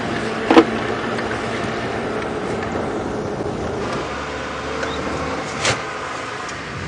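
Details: A steady vehicle engine rumbles throughout, with a couple of brief knocks and clicks and no animal calls.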